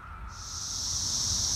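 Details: Male Cassin's 17-year cicada at Lake Accotink Park, Northern Virginia, starts a high, steady, hissing buzz after a brief quiet moment and holds it evenly to the end, growing slightly louder, with a faint lower tone underneath.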